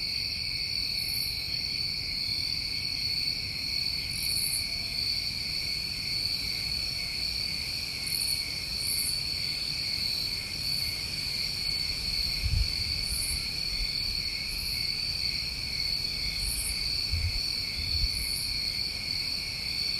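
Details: New England summertime crickets at night, a steady chorus of continuous high trilling in several stacked pitch bands, with brief louder buzzy bursts higher up every few seconds and faint low rumble beneath.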